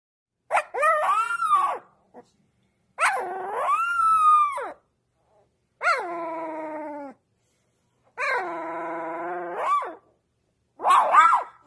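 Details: A newborn Dobermann puppy gives a series of thin, wavering howls, each rising then falling over about two seconds.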